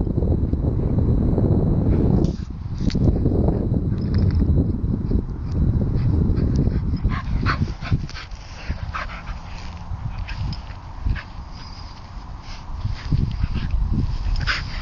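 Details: Two pet Bedlington terriers, Ollie and Dessy, playing about together: dense low rumbling growl-like noise for the first seven seconds, then quieter scuffling with scattered short sharp yips and whimpers.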